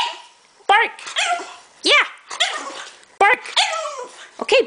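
A French Bulldog puppy gives high, yappy barks, each a short rising-and-falling burst, answering a person's commands.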